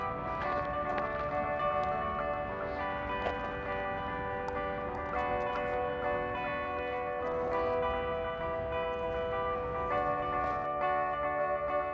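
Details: Steady instrumental music with sustained chiming, bell-like tones and faint speech beneath, with no animal sound.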